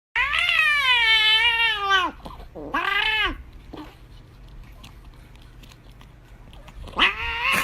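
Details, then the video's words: Domestic cat screaming and begging for chocolate indoors: a long, loud, wavering meow of about two seconds, a shorter bent meow a moment later, then a third drawn-out cry rising at the end, with quiet room noise between. "Screaming cute 🐈 cat"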